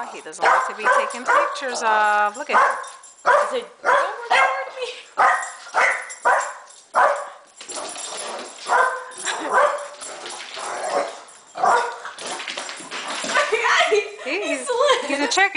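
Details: A Boston Terrier that hates the camera gives a run of short, tonal barks and yips, with a person talking.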